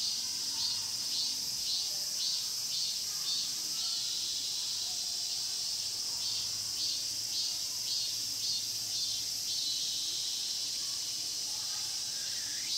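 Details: Cicadas in the pine grove at Mokgye, Cheongsong, South Korea, sing in a dense, high, hissing chorus with a steady pulsing throb.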